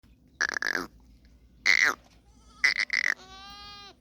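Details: Goats in Tharparkar, recorded 29 January 2025, giving three loud nasal bleats with a quavering, pulsed quality, each under half a second, followed by a smoother drawn-out falling cry at the end.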